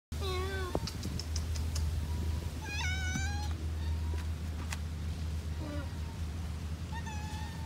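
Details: Two cats meowing on Lazarus Island, Singapore: several drawn-out, wavering meows, some rising then falling, spaced a few seconds apart over a steady low engine-like hum.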